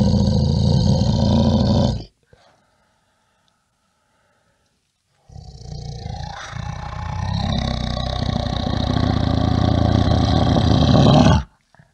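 A bear gives deep, rumbling growls, one burst then a longer roaring growl after a pause.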